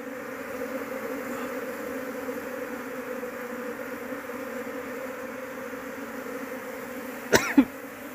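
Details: Asian honey bees (Apis cerana) from a big colony hum steadily while someone hunts for the queen to keep them at home; constant droning, then two sharp clattering knocks near the end.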